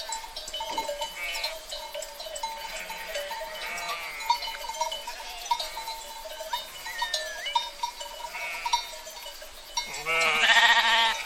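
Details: Sheep herd with steady bell tinkling and scattered clicks; faint bleats come and go, a short rising call near seven seconds, then one loud, harsh, drawn-out bleat close by near the end.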